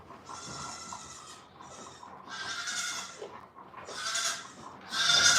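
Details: Several nasal, quavering goat bleats in quick succession at The Willful Goat Farm & Home, each a short burst with the last one loudest, during feeding time in a farm setting.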